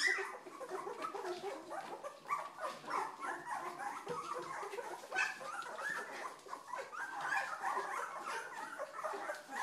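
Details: Two-week-old Old English Sheepdog puppies, newly getting moving and noisy, give a dense overlapping chorus of high whimpers and squeaky yelps, several pups calling at once with no pauses.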